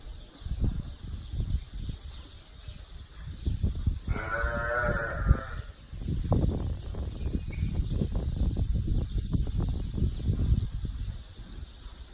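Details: Sheep, ewes with their newborn lambs, giving one clear harmonic bleat about four seconds in, lasting over a second. Heavy low rumbling noise like wind or handling fills the rest.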